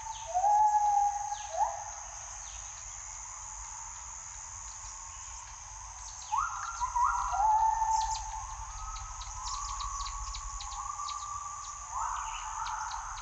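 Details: Gibbons calling in the morning forest: rising, whooping notes that climb in short steps, heard in two bursts with a quieter pause between, over a steady high insect hiss.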